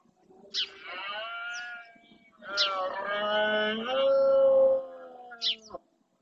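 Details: Red deer during the rut (berrea) in the Doñana National Park marshes, Spain, with males roaring to claim territory: two long harmonic bellows, the second longer and steadier, broken by short sharp bird chirps.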